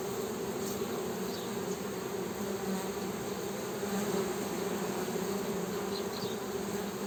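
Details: Continuous honey bee hum, an even buzzing drone with a deep tone and a stronger one an octave above, unbroken for the whole stretch, with faint distant high-pitched chirps now and then.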